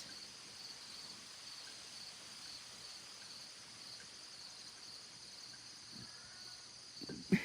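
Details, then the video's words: Crickets outdoors on a very warm morning, a faint steady high-pitched chorus running unbroken throughout, ending with a brief loud knock. "You can hear the crickets. Let's listen to the crickets."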